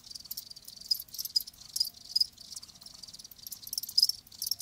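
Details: Live crickets give short, sharp high chirps in uneven bursts roughly every half second, over a softer background trill.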